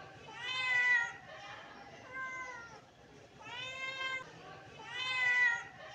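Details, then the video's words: Hungry British Shorthair kittens asking for breakfast with four meows, loud and soft in turn, each a rising-then-falling wail, spaced about one and a half seconds apart. "Kitten meowing for breakfast || Hungry kittens"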